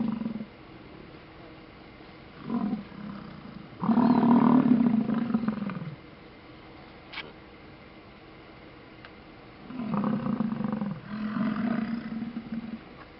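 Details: A herd of American bison grunting during a display at Yellowstone, heard from cars stuck in traffic: deep, drawn-out roaring grunts lasting one to two seconds, repeated in bouts with quiet gaps between.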